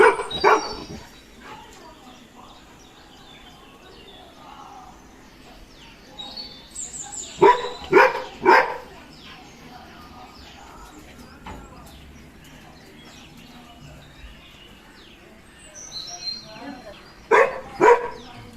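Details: Golden retriever scared of a balloon, giving short, sharp barks in brief clusters near the start, middle and end, separated by long quiet stretches with faint background noise.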